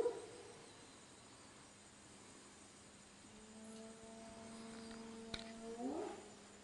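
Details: At night, spotted hyenas call just outside or inside a camp they visit nightly; one gives a low, steady moaning call that swoops upward at the end.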